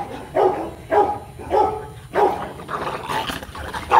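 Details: A Rottweiler mating pair, the male Marvin Gervi and the female Kacyno Gervi, in Hanoi, Vietnam. Barks come roughly every half second, some doubled and uneven in spacing, over a faint low background drone.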